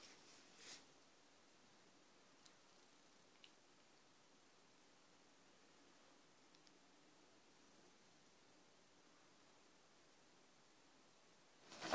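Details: A near-silent indoor room with faint ticks and clicks, and brief rustling bursts at the very start and end.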